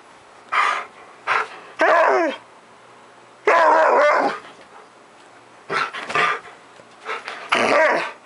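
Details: Siberian Husky, nearly ten years old, spazzing out at 10 AM on a July morning, giving short sharp barks spaced about half a second apart, then a long wavering howl-like whine, more barks after a pause.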